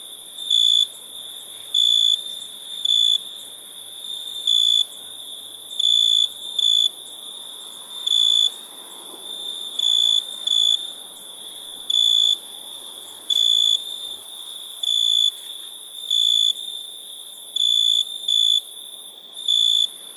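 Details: Crickets chirping at nighttime: steady, high, pure-toned pulses, each about half a second long, repeating roughly once per second with some uneven gaps and short doubled bursts, over a soft constant hiss.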